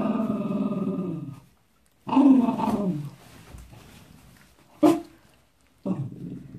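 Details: Wire-haired fox terrier that dislikes having his paws wiped down after a walk, giving low throaty growls, one long and another rising sharply, then a brief snap and a final short rumble.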